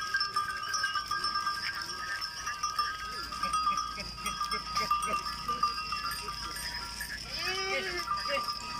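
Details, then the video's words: Goats coming in from the jungle in the Tharparkar Desert, Sindh, Pakistan; one arching, nasal bleat rises and falls near the end over a steady background of high, ringing tones and faint scattered movement sounds. "Goats Coming from Jungle"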